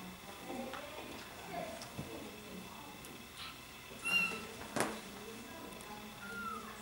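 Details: Bengal cats from a cattery family group; a few brief, thin meows rise above a steady indoor hum, with faint speech in the background and occasional clicks.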